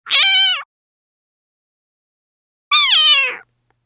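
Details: A Persian (Shirazi) cat, one of several meeting a new small kitten, gives two clear, harmonic meows, the second longer and slightly falling.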